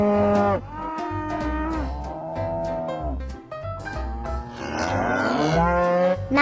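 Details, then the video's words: Oxen mooing: several loud, drawn-out harmonic moos in quick succession, some falling at the end and one wavering, over steady background music with a thumping bass line and beat. "SOM DOS BOIS"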